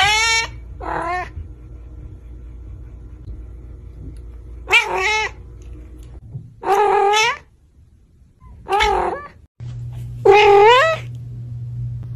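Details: House cat in a compilation of cute cat moments making six separate meows at irregular gaps, some short and some drawn out with falling tails, with a quiet humming background and brief near-silences between calls.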